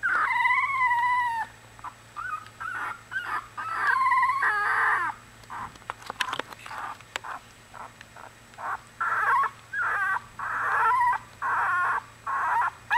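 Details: Newborn Australian Bulldog pups, one week old, crying loudly in a litter. Drawn-out harmonic wails bend up and down, then turn into a run of short, choppy yelps repeated about once a second.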